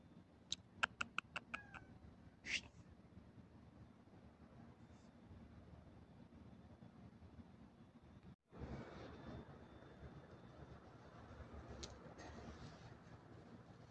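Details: Domestic cat giving one clear rising meow after a burst of sharp clicks, followed by a quieter stretch with a louder broadband rushing noise in the second half.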